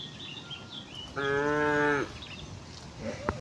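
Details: One cow from a tame herd heading for pasture on a calm morning gives a steady, deep moo lasting about a second, with faint bird calls around it.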